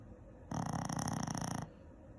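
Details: Snoring Shih Tzu, a single rough inhaled snore just over a second long, vibrating in quick buzzy pulses before it stops abruptly.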